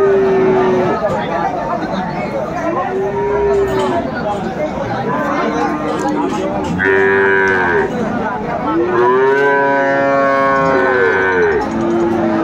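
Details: Friesian bull calves and cattle at a Khulna cattle market on 25 September 2024, where a young woman farmer buys a calf; several drawn-out, droning moos, some rising then falling, recur every few seconds over steady crowd chatter.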